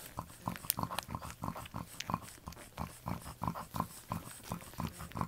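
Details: Tiny grunting squeaks from newborn French Bulldog puppies, born October 29, 2011 to Anais and Hobbit, repeating quickly at about three per second in short uneven bursts.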